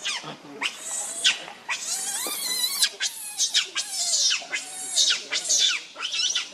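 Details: Very hungry baby monkey crying and begging its mother for milk, uttering a steady string of high, shrill, arched screeches, each about half a second long, with a drawn-out quavering wail near the start.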